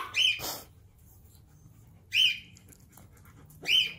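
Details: German Shepherd, excited and pestering its puppies, gives three shrill, high-pitched yelping cries about every one and a half to two seconds, each a short rising-then-level squeal, with faint hum between them.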